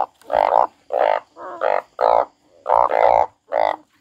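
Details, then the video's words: Frog crying, giving seven loud, nasal, rasping croaks in four seconds, each about half a second long with a rich buzzy tone, some doubled, separated by brief silent gaps; no other sounds. "The frog crying"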